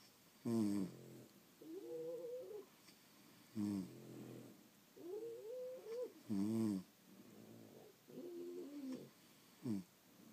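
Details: Several French Bulldogs sleep indoors, snorting short, sharp rasps on the inhale, each followed by a wavering, squeaky whistle as they breathe out, repeating steadily.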